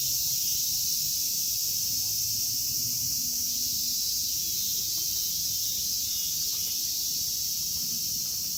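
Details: In Kitatama District, Tokyo, Japan, a chorus of cicadas, including Platypleura kaempferi, Graptopsaltria nigrofuscata and Hyalessa maculaticollis, keeps up a steady, piercing, sizzling drone from start to finish, with only a faint low hum in the background.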